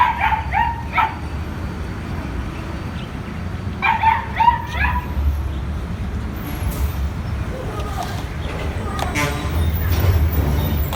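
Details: Puppy playing with its owners, giving short high whining cries near the start and again around four seconds, over a steady low rumble with faint background noise.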